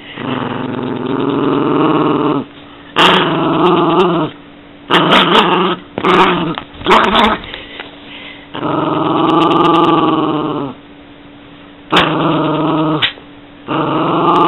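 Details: Yorkshire Terrier growling repeatedly, long rough rumbles of one to two seconds alternating with choppy, snarling bursts and brief silences, a few sharp clicks between bouts.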